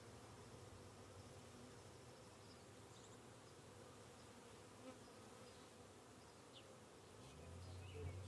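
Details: Honey bees living beneath a hive give a low, steady droning hum, a soft massed buzz from many wings.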